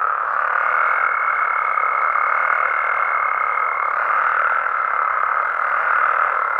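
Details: Mexican frogs and toads calling at night in their natural habitat: a dense, unbroken chorus of many overlapping voices, joined by a thin steady whine held for about three seconds, then again near the end.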